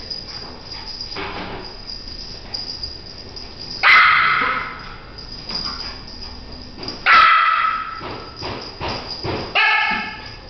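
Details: French Poodle Bruno chasing a flashlight beam gives three loud sharp barks spaced a few seconds apart over a background of faint rustling and lower noise.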